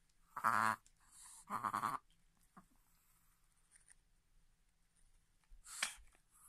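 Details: A Chihuahua gives two quick, honking snorts of a reverse sneeze, which happens almost daily when excited before treats, meals or play.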